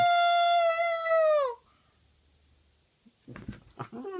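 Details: Domestic dog howling, dated 4-5-14: one loud, steady, tonal howl lasting about a second and a half, rich in overtones and sliding downward at the end, then a person speaking, urging another howl.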